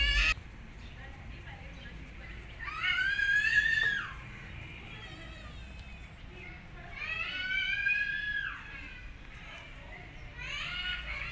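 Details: Kitten meows amid a cat family, an orphan kitten approaching a mother cat that first licks then attacks her; two long loud harmonic cries arching high and falling, with a third starting at the end, quiet hiss between.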